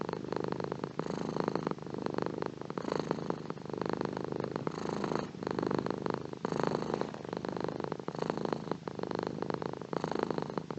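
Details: Continuous purring of a house cat, a low throbbing drone that pulses with slow regular breaths, brief softer gaps marking each switch between inhaling and exhaling.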